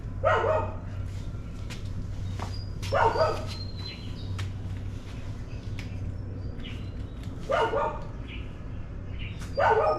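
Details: Dogs barking in the morning: short harsh barks in bursts near the start, around three seconds, near eight seconds and at the end, with quieter faint calls between over a steady low hum.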